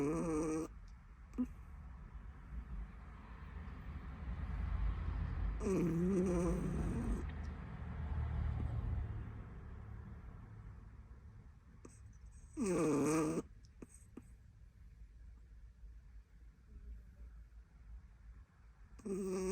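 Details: A sleeping Chihuahua snores: low, rumbling breaths swell and fade, broken twice by drawn-out, wavering, whiny moans with a rising and falling pitch, plus a few short squeaks in a quiet indoor room.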